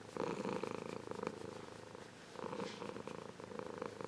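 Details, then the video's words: Grown Ragdoll cat, once a kitten, purring warmly: a low, pulsed rumble in two bouts, one near the start and one in the second half, separated by a quieter breath. "Ragdoll Cat Purring"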